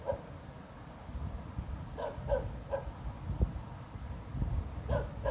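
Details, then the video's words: Distant dog barking at night on 26 November 2016, still going after half an hour with no clear cause. Short barks come in quick pairs and triplets, closing with a louder double bark, over a constant low background hum. "Снова беспричинно лает собака."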